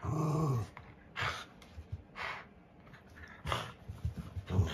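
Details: An 11-year-old Pugapoo (Canis lupus familiaris) gives a low, throaty growl that slides downward, followed by breathy huffs and rustling.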